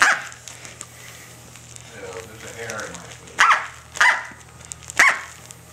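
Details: Six-to-seven-week-old female Corgi pup Tic-tac at play with her toy duck inside a small room gives three quick high yips near the end, after a stretch of soft human speech and shuffling.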